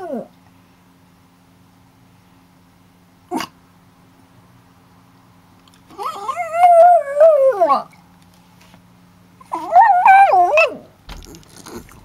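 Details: A dog howls like a wolf in two separate drawn-out howls, each about one and a half seconds long, wavering up and down before dropping away. Quiet pauses and a faint click come between them.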